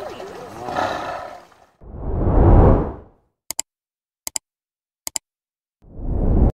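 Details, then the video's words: Hungry Siberian tiger roaring at feeding time; two deep, rough, swelling roars each about a second long, separated by silence with a few sharp clicks, then a third roar beginning. "Feeding a Hangry Tiger"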